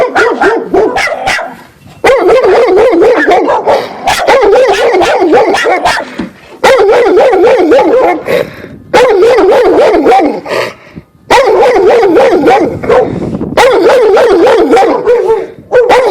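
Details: Neighbour's golden retriever in a front yard barks hard once it can see the person filming, a dog said to have grabbed someone's jacket; long runs of rapid, harsh, rhythmic barks broken by brief pauses, loud and sustained throughout.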